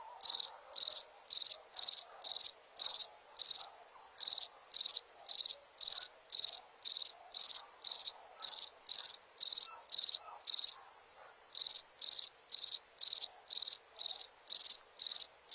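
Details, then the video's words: A cricket chirps on and on, about two chirps each second, each a tight cluster of shrill pulses; one brief pause near the middle, otherwise a clean, quiet backdrop. "Som de grilo"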